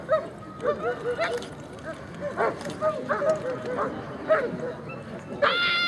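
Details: Cai vom Airmont, a German Shepherd, during the 2011 Sieger Show performance test: rapid high-pitched barks and yelping yips in irregular bursts over a background of voices and crowd noise, with a tonal whine near the end.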